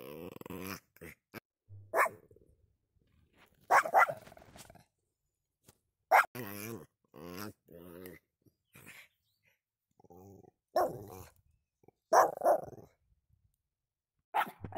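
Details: Chuck, a pet Pomeranian, gives short sharp barks in scattered bursts about every two seconds, with quiet gaps between and a human voice talking in between.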